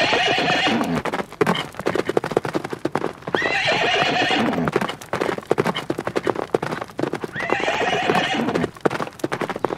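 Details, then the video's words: Horses in nature neighing while galloping; three long quavering whinnies, each about a second or more, come at roughly four-second intervals over continuous drumming hoofbeats. "Sounds of horses in nature (neighing + galloping)"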